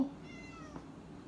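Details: Pet cat at dinner time, in a home with a Boxer dog. A single soft, thin meow gently falling in pitch, quiet against faint room noise.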